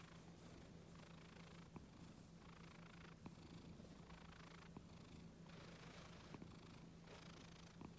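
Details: Calm, quiet Scottish Fold house cat purring while being petted on the neck and ears, an unbroken low vibrating drone with occasional small taps and rustles from handling.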